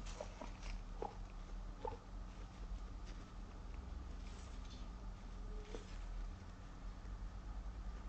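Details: Female Abyssinian guinea pig named Moru, born 29 November 2017 and kept in an apartment, lets out a small "po" squeak in step with her feet while walking. Faint, short, soft blips recur about every second over a low, steady background hum.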